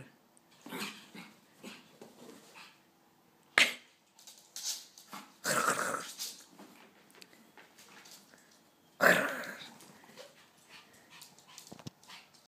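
A Pekingese gives a few loud, sharp barks separated by softer growls and snuffling yips.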